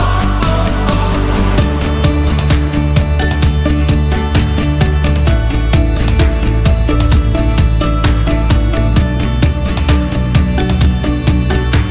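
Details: Loud, upbeat soundtrack music with a driving beat and bass throughout, no animal sounds.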